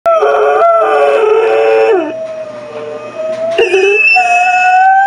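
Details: Loretta, a pet dog, howls along with a recording of herself playing on a computer; long sustained tonal howls with rich harmonics, falling at the ends, a second voice overlapping in places, brief quieter gap mid-clip.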